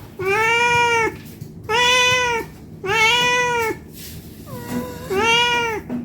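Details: Hungry cat begging for food with steady, drawn-out meows, four strong harmonic calls about a second long each, plus a quieter meow between them, recorded indoors with low hum.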